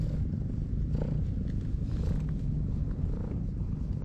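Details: Stray cat resting on a breakwater purrs as it is petted, a continuous deep, rolling rumble with faint higher rustling.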